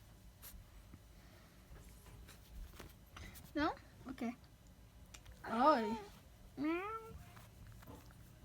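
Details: Domestic cat indoors gives three short meows, each rising then falling, spaced about a second apart after a person coaxes it to say hello; soft talking and faint background noise around the calls.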